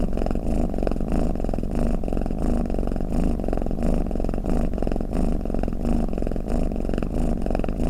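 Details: Sleeping house cat with a snoring purr: low, buzzy rumbling cycling in and out at a brisk, slightly uneven pace, about one and a half pulses per second, nothing else audible.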